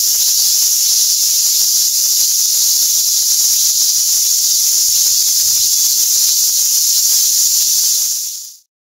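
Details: A robust cicada (minmin-zemi) found calling nearby sings a steady, high, hissing drone that stops abruptly near the end.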